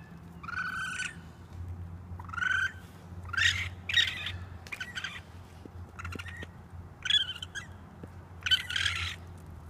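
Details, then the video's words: Baby raccoon on a roof screaming for its mother: a series of high, harmonic squealing cries, some bending upward, about one per second with short gaps, over a steady low hum. "Raccoon Baby Screaming for Mom on the Roof!"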